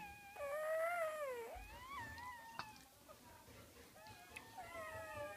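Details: Nursing puppies belonging to a dog called Gryzia whimper in thin, bending tones, a louder quavering cry first, then softer broken whines with small clicks and rustles between them.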